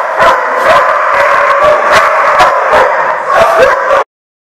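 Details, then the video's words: Dogs barking in a chorus, rapid overlapping barks about three per second, with some higher yips and a howl-like note, continuous until an abrupt stop near four seconds. "The Barking Lot"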